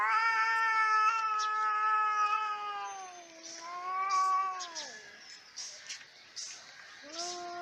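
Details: Fighting cats hold a sustained low yowl that bends downward, answered by a second wail sliding lower. Scattered hissing spits and scuffles follow, then a new low moan starts near the end.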